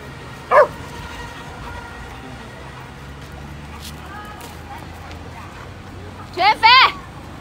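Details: Stray Chow Chow puppy being brought dog food lets out a brief high yelp, then after a long pause a rising-falling double yelp, with quiet human voices and a steady background hum.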